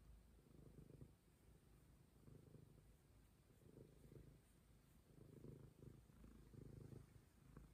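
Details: Momi, a stray cat, purring steadily and deeply, the low rumble swelling in soft pulses about every one and a half seconds against a quiet background.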